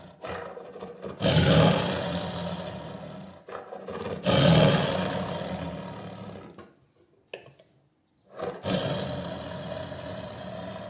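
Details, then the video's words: Tiger letting out a series of heavy, rough roars, each lasting one to two seconds with brief gaps, then a short silence before a final roar. "Som de Tigre"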